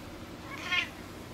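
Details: During play between a two-month-old Ragdoll/Javanese kitten and an adult Flamepoint Siamese rescue cat indoors, one brief, thin, high-pitched meow rises and falls in under half a second against faint room noise.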